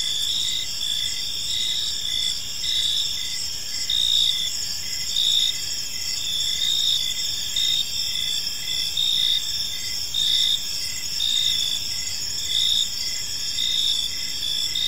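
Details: Many crickets in a park at evening, their shrill pulsed trills running without pause, some bands rising and falling in short bursts about once a second, light low hum beneath.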